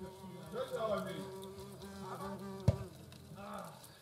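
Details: European hornet queen and workers at their nest in the Eifel, 2022. Low humming buzz with strong stacked overtones rises and falls in loudness, broken by one sharp click midway.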